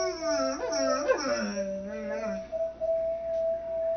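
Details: In a messy kids room, a mastiff howls along to Mary Had a Little Lamb. A bending, downward-sliding howl rises over a sustained musical tone, fading after about two seconds while the note continues.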